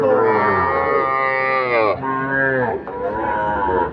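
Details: A loud, sustained moo from a Sahiwal bull calf at Ambari cattle market, about two seconds long, then shorter lowing calls that slide downward. Market voices murmur behind.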